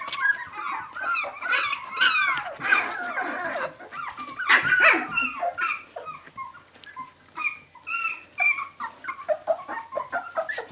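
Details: Seventeen-day-old puppies crying for their mother: a litter of pups squealing and whining together, short wavering squeaks overlapping, louder bursts then softer fading whimpers.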